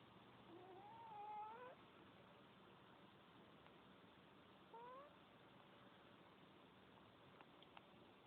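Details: Cat snoring quietly, giving a thin wavering whistle that rises then dips, and a second short rising squeak about three seconds later, against constant background hiss.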